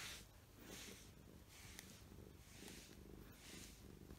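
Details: Choco or Mugi, short-haired domestic cats that like brushing, purring loudly as a grooming glove lifts shed fur. A deep, even purr runs beneath repeated soft swishing strokes.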